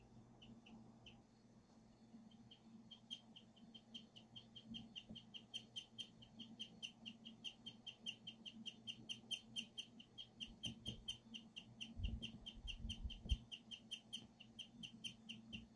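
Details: Emma, a pet guinea pig, chirping like a bird, a rarely heard sound, recorded on a phone: a long rapid train of short, high, bird-like chirps, several per second and steady throughout, over a low indoor hum.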